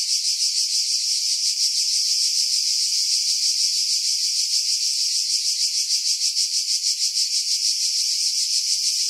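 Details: In July 2018 on Skiros Island, Greece, cicadas in pines above Pefkos Bay produce a dense, high-pitched rasping drone with steady rhythmic swells, roughly three per second, wind noise filtered out.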